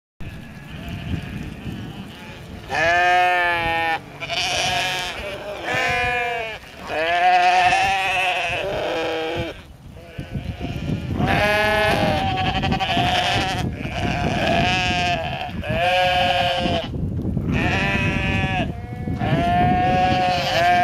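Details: Sheep during an attack, giving loud, wavering, nasal bleats in repeated bursts of about one to two seconds, separated by short pauses, with a steady noisy background.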